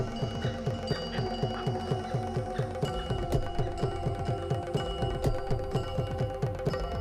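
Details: Rhythmic mallet-percussion music with layered tonal notes plays throughout, with no animal calls. Repeated low struck tones carry the beat beneath brighter sustained chimes.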